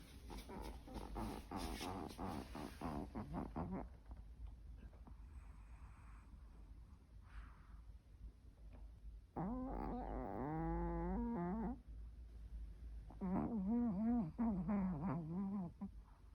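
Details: A sleeping dog snores in an odd, haunted-house way: rapid rasping pulses at first, then after a pause long, wavering, moaning tones that rise and fall in two drawn-out stretches.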